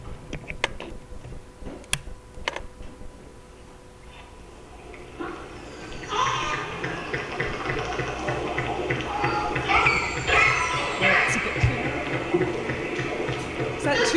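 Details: Killer whales of the I-15 group call back and forth in pulsed, whistle-like calls, opening with trains of sharp echolocation clicks used to detect prey.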